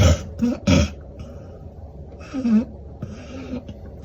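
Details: Hana, a female red-and-white Border Collie born June 2022 in Japan, sleeps exhausted after a two-hour car trip to a training class. Her rough, throaty snorts and rumbling snores come in irregular bursts, two loud ones early, then softer breaths.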